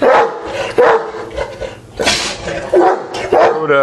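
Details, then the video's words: Neapolitan Mastiffs settling at night after going wild at a knock on the door; short barks and whining yelps interleaved with a woman talking to them. "Neapolitan Mastiffs settling down after raging at the door at night"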